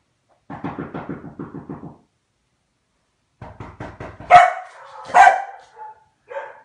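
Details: Komondor, the Hungarian dog breed with a mop-like coat, giving a burst of rapid low barks, a pause, then another quick series rising into two loud, harsher barks and a short final yelp.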